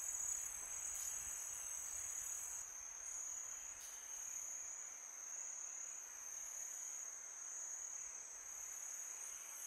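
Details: Crickets chirping on a summer night, several high-pitched trills layered into a constant shimmering drone, one briefly stopping early on, with light wind hiss.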